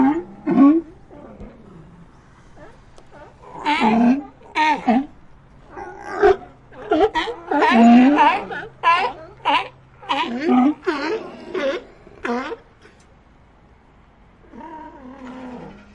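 A colony of sea lions calls over one another with hoarse, roaring barks and groans.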